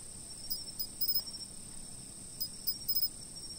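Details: High insect chirps from a fixed-camera recording, delivered in rapid little groups of pulses, one set near the start and another about two seconds later, over a steady shrill background hum.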